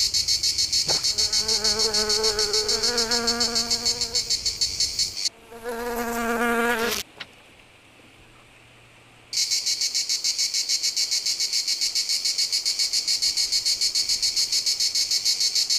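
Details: Cricket chirping in steady, high, rasping pulses about three to four times a second, broken by a lower harmonic tonal sound in the first seconds and a short silent gap before the chirps resume.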